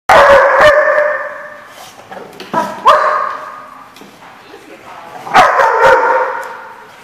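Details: Dog barking, recorded 12/12/14: three loud, ringing barks about three seconds apart, each fading in a long echo, with softer clicks and movement between them.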